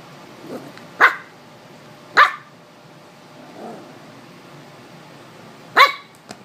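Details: Maltese puppy, 15 weeks old, barking while playing and fighting with a bottle cap indoors: three sharp, high yapping barks spaced irregularly, with a softer muffled sound between them.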